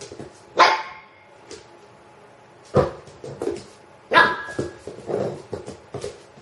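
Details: Pet dog with a rubber chicken toy: three sharp, loud single barks, spaced roughly one to two seconds apart, with quieter rustling and movement between them.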